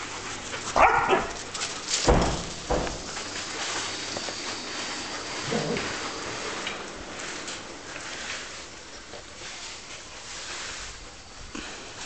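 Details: Standard poodles playing at Royal Line Kennel in Buenos Aires, Argentina: a few sharp, loud barks near the start, then quieter yips and whimpers scattered over a steady background hiss.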